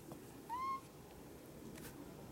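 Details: Jaba the cat, perched on a high place, gives one short, clear, slightly rising mew lasting under half a second, with faint room noise behind it.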